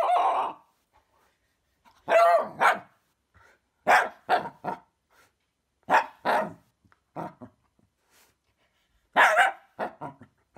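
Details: A female Shiba Inu in West Sussex, England, scared of a fidget spinner, gives bursts of sharp, yelping barks, often in quick pairs, protesting the spinning toy.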